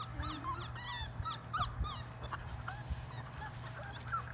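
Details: Labrador Retriever puppies, five weeks old, one of a litter of six, play in water in a baby pool; a steady stream of thin, high whines and squeaks, each arching up and down, over a faint background hum.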